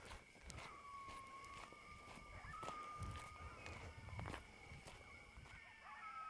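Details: At night on Oracle State Park's Nature Trail Loop, a dark sky park near Tucson, Arizona, coyotes yip, yap and howl in drawn-out wavering tones, sounding like hundreds communicating with one another.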